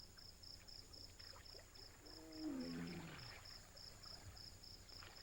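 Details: A female Bengal tiger in heat gives a soft, low moaning contact call that slides downward over about a second, announcing her readiness to mate. The resident male is quick to respond.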